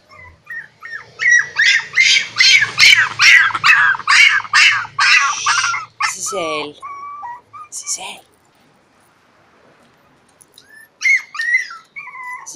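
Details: A pinscher puppy that wants to play with a Cane Corso gives a quick run of high, sharp yips, about three a second for several seconds, then a few scattered yelps after a short pause.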